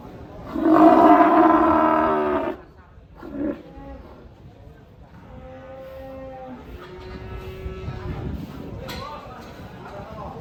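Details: Cow giving a strange call likened to an elephant crying: one loud, drawn-out, harmonic-rich moo lasting about two seconds at a fairly high, steady pitch, followed by faint, thin tonal notes and low background rumble.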